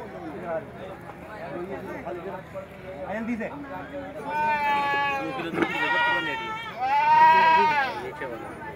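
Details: Beetal goats offered for sale outside Jama Masjid in Delhi at Bakra Eid; long wavering bleats with rich harmonics near the end, one drawn out and slightly falling, over a steady murmur of crowd voices.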